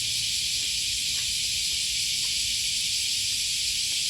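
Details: A steady wall of high cicada buzzing heard while walking beside the Okawa River near Sakuranomiya Park, Osaka, Japan, on an August 2020 morning, with a few faint footstep-like taps underneath.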